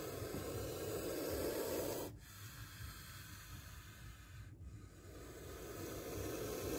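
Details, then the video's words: Spectacled cobra hissing during a near bite caught on camera: a loud, breathy rushing hiss lasts about two seconds and stops abruptly, then a quieter airy hiss slowly swells again toward the end. "Spectacled Cobra Snake Sound"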